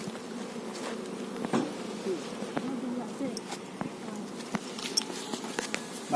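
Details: Honey bees at a managed hive with a queen bee keep up a low, even droning hum, dotted with many small ticks and taps from handling the frames.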